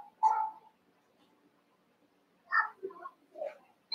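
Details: Eight young Cavalier King Charles Spaniel puppies wrestling and playing together in the Red Barn puppy pen; short high yelping yips and whines, one near the start, a quick cluster midway, another at the end, with quiet gaps between.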